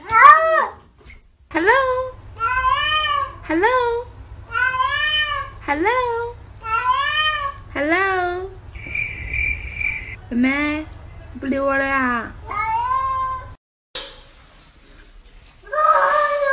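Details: Cats presented as speaking English give a run of short, rising-then-falling meows, about one per second, broken by a brief steady electronic tone and then longer, wavering meows after a cut.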